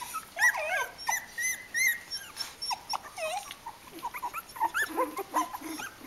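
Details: Young Kooikerhondje puppies, three weeks of age, crowding with overlapping wavering whines and squeals, some sliding up and down, mixed with soft grunts and snuffles.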